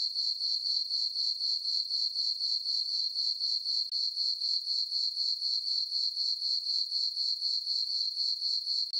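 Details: On a calm summer night in a meadow on a farm, crickets keep up a piercing, evenly pulsed chirp, about four beats per second, with no wind, voices or other animals.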